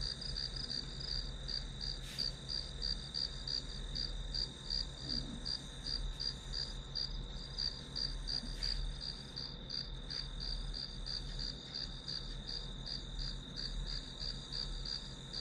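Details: Grass insect chorus accompanying a study session: steady, bright pulses roughly 170 per minute ride over a constant high tone, with faint taps near two and nine seconds and low background hum.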